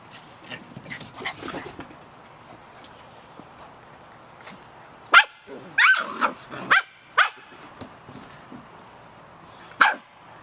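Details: Young Samoyed puppies, 51 days old, out in the rain: soft muffled whines early on, then a rapid run of shrill yaps bunched together, ending with one more sharp yip.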